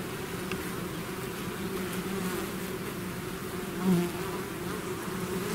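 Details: Natural buzzing of a bee swarm out of the hive, a continuous low droning hum; one bee passes close near the end, its whine rising sharply then fading back into the mass.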